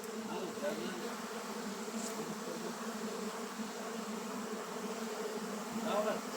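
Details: Swarm of honey bees droning continuously at an apiary, an even low hum that holds steady throughout, with a faint passing buzz near the end.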